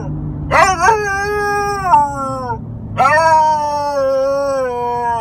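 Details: Four-month-old female Alaskan Malamute making funny noises, two drawn-out howling, talking-like calls that swoop up and slowly sag in pitch, the second starting about three seconds in. A person's voice is faint in the background.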